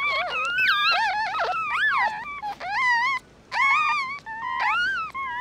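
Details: Newborn mixed-breed puppies, a litter whose eyes are not yet open, cry in high, wavering whines that rise and fall, several voices overlapping in quick bursts, with short pauses in a small indoor space.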